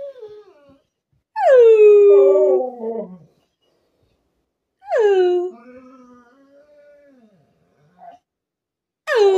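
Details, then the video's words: Mirah, a 12-year-old female Alaskan Malamute, whines for encouragement. She gives two drawn-out, howl-like whines that start high and slide down, with a third beginning at the end and silence in between. "Mirah, my 12 y old Alaskan Malamute, whines until I sing with her"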